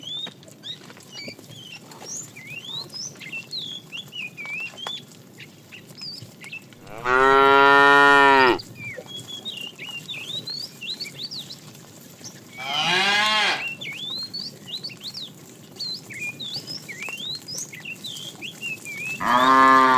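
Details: Tame cow in a herd being driven in the afternoon, a fat cow calling the female: loud harmonic moos at about seven, thirteen and twenty seconds, each a second or so long, with many small birds chirping throughout.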